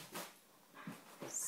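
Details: An Alaskan Malamute dog with hiccups: three short, abrupt broadband bursts at uneven gaps within a second and a half, over quiet background hiss.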